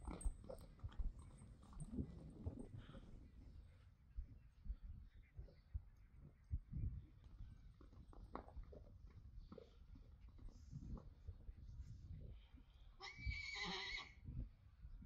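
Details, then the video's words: Friesian horse, a male, making funny sounds together with another horse. Low snorts and rumbling breaths run throughout, then a brief harsh squealing burst comes near the end, with shuffling and stable noises. "Rising Star⭐ makes funny sounds"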